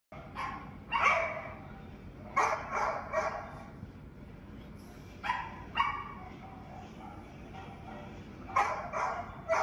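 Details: Young Bouvier dog in central Ohio, a service dog prospect, barking at a recording of its own barks: four bursts of sharp, harmonic barks, mostly doubled or tripled, spaced about every two to three seconds, over light room noise.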